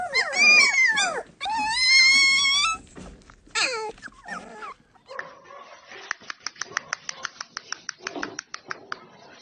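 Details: Little Samoyed puppies giving loud, clear, drawn-out whimpering whines for the first few seconds, then softer scattered yips, followed by a string of faint rapid ticking clicks.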